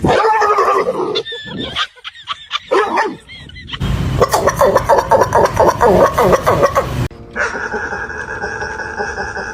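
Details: Dogs making weird sounds: a cut-together mix of high yips, wavering whimpering whines and rapid barking bursts, ending in a steady, even-toned drone.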